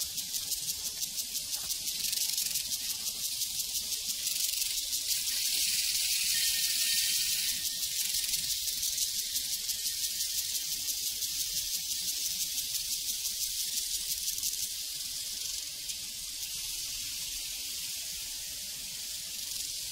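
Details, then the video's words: A prairie chorus of crickets chirps in a shrill, evenly pulsing wash for twenty seconds, steady and unbroken, easing slightly quieter toward the end. "Sounds from a Prairie Crickets and Cowbells"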